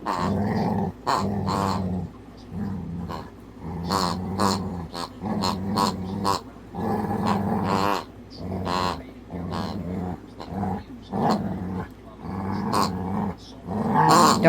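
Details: Pet dog softly growling at his squeaky piggy toy whenever it squeaks; low rumbling growls alternate with repeated sharp toy squeaks through the whole stretch.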